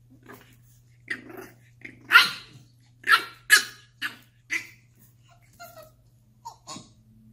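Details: A French Bulldog puppy gives short, rough barks and growly yaps, trying to get a Staffordshire Bull Terrier to play.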